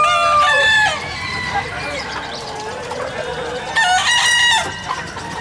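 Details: At a Bekisar crowing contest final in Surabaya, April 2019, a long ringing crow opens the clip and another rich harmonic crow follows about three seconds later, amid crowd chatter and background music.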